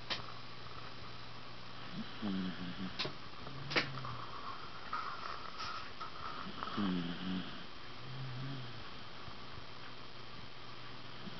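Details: Tucker, a 14-year-old Wire Fox Terrier, snores while sleeping indoors: two clear nasal, harmonic snore bursts about four and a half seconds apart, with faint clicks and a steady low room hum.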